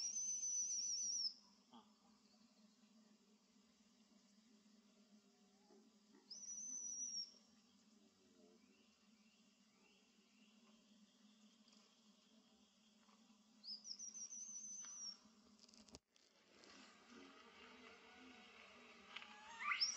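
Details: A baby monkey near Angkor Wat, in its natural habitat, gives shrill, high whistled cries every few seconds, calling loudly for its mother to help bring it back.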